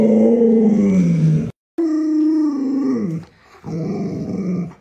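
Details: Luoluo, a pet Alaskan Malamute, reacts to its owner lying sick in bed with three drawn-out, mid-pitched moaning howls. Each slides gradually downward, separated by brief silences.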